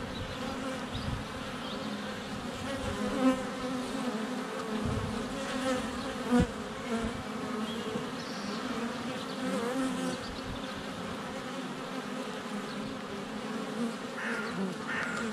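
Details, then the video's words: Bees in flight at a hive entrance, some landing on the nearby camera, on a sunny February day; softer steady buzzing with a couple of sharp knocks from bees touching the camera, faint birdsong later. "Honey Bees - ambient video and audio"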